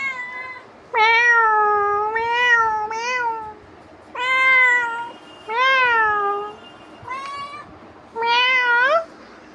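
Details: Domestic cat nagging its owner with a run of about seven meows, some long and level, others short and upturned, coming in uneven bursts over roughly eight seconds.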